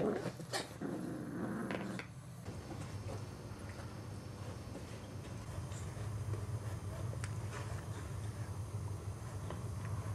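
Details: Boxer puppies about six weeks old playing indoors: low rumbling growls sustained through most of the clip, with a few sharp knocks and scuffles at the start.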